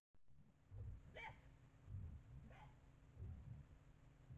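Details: White-lipped peccary at a bait site: low, rumbling grunts pulse through the recording, broken by two short, harsher rising calls about one and a half seconds apart, all fairly faint.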